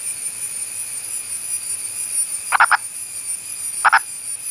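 An Indian purple frog gives short, hoarse double clucks, spaced more than a second apart.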